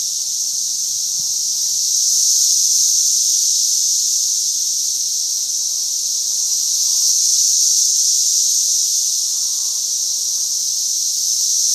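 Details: Masses of emerging brood cicadas in mid Missouri keep up an unbroken, piercing high whine, with loudness surging in two broad swells, like a tree full of insects calling at once.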